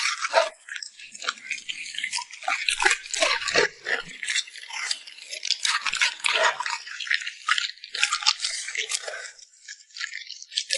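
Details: Lip smacking from a puppy eating a meal of treats such as rabbit chop, beef and salmon. Rapid moist clicks and crunches arrive in irregular clusters, briefly pausing toward the end.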